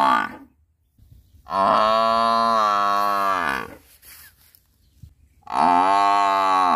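A buffalo gives long, deep, droning moos, one drawn out for over two seconds.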